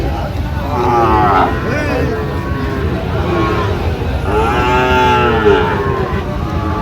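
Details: Sahiwal bull calves at a cattle market in Tangail, Bangladesh, on 19 September 2025, where a farmer buys calves: two drawn-out harmonic moos stand out over steady crowd chatter and market noise.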